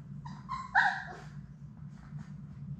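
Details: Six Labrador Retriever puppies from Sadie's litter playing together indoors in their play room: a few short, high whining yips with one louder, tense squeal near the middle, then faint whimpers, all over a steady low electrical hum.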